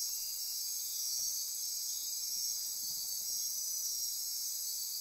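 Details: Midnight insects calling in rainforest on Costa Rica's Osa Peninsula near Corcovado National Park: an unbroken wall of shrill buzzing and trilling, several high layers overlapping, with faint soft low ticks beneath.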